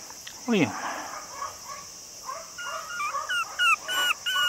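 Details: Male long-haired Chihuahua puppy, cream and white, 48 days old and about 480 g, recorded on 2 September in Nara, Japan. Short, high, whining squeaks with rising and falling slides, scattered and growing more frequent toward the end.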